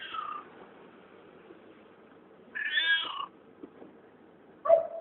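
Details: A found cat making weird noises utters a long wavering meow that bends downward, preceded by a fading call and followed by a brief low, abrupt yowl, against soft room hiss.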